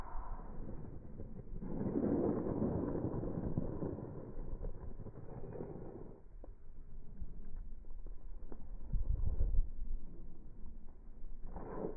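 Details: Strong wind buffets the microphone outdoors over a low rumble, with no animal voice heard.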